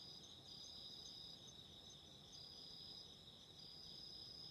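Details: Autumn insects calling beside a candle flame, a steady shrill high-pitched trill layered in two bright bands, unbroken throughout, over a soft low crackling background.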